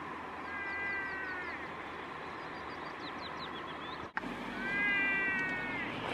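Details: Lost muskox calf crying before reuniting with its mother, in a herd beside the E6 highway, Dovrefjell, Norway, on July 2, 2015: two drawn-out, harmonic bleating cries that hold steady then fall, split by a sharp click, with small birds chirping and steady low rumble.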